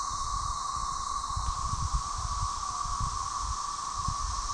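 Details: Periodical cicadas of the species Magicicada tredecim, Brood XIX, chorusing with M. tredecula in the background at Tyler Bend Park on the Buffalo River, northern Arkansas, May 30, 2011. Unbroken, steady droning hum under a higher hiss, with low rumbling thumps throughout.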